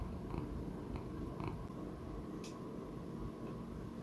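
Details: An elderly male Persian Chinchilla pet cat, aged about 15 to 16, purrs on 11 October 2019. Low steady rumble with a few short soft clicks early on and a brief sharp tick near the middle.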